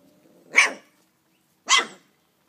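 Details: Dobermann puppies about a month old, from a litter born 18 April 2012 in Cambuquira, Minas Gerais, Brazil; two short, high yappy barks about a second apart after a person speaks.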